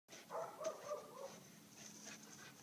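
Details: Farm dogs: a short series of tonal, whining cries in the first second, wavering in pitch, followed by quieter rustling and a faint hiss.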